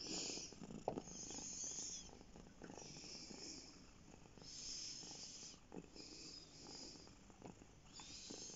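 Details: Domestic cat purring while resting on a lap: a quiet, steady, rumbling purr that swells and fades in cycles of about one to two seconds, with faint soft rustling in the background.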